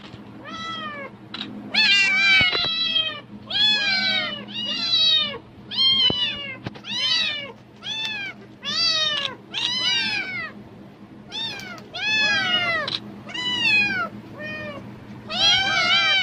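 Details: Domestic cat meowing excitedly at the rustle of plastic bags, apparently expecting food: a rapid run of about a dozen loud, harmonic meows, each rising then falling, packed closely over sixteen seconds with a low steady hum beneath.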